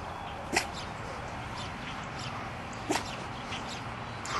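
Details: Zip, a pet dog who woofs rather than barks when people drive up or the doorbell rings, gives two short, soft woofs a couple of seconds apart over steady outdoor background noise.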